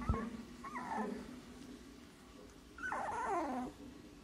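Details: Siberian Husky puppy opening its eyes for the first time, giving two soft whimpers: a short wavering cry near the start and a longer, louder descending whine after a pause, over a steady low indoor hum.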